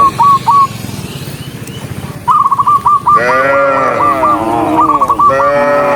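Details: Dozens of docile cows walking along a country road toward the barn; long, deep, drawn-out moos overlap in the second half, after bursts of short, repeated high chirping notes at the start.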